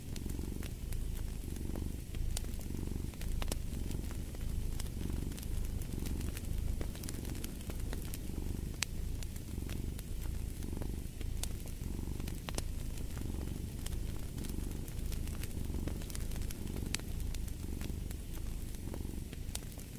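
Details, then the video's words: Continuous low purring from a cat beside a crackling fireplace. The rumble pulses gently in regular breath cycles throughout, with frequent snapping pops from the fire on top. "Purring of a Cat"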